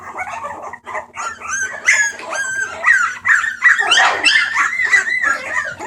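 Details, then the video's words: Homeless Bulldog puppies up for adoption, 28 March 2014: a group whining and yipping together, with rising and falling squeals and short yelps tumbling over one another, plus a constant low electrical hum. "Puppies making noise"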